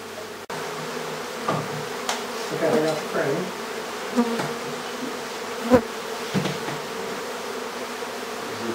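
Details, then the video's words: Buzzing bees from a hive being removed from a house in Aderet. A dense hum wavers in pitch, with scattered knocks and clicks from the removal work. "Bee Hive in our house"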